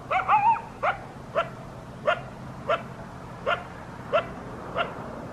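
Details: Coyote at about 5 am on Christmas morning near a house in southern Arizona: a quick wavering yelp opens, then short bark-yips repeat roughly every two-thirds of a second, about nine in all, over low background hum.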